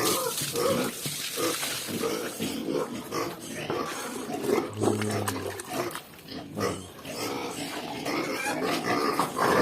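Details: A crowd of two-week-old native piglets on a farm, noisy while waiting to be fed: dense, overlapping high squeals and grunts run continuously, with a man talking in Filipino.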